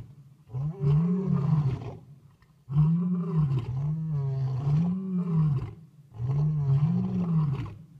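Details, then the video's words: Lions roar at night at Talamati in Kruger National Park, in deep rumbling bursts, each a series of low grunting moans repeated in quick succession. "Roaring lions at night at Talamati Kruger National Park"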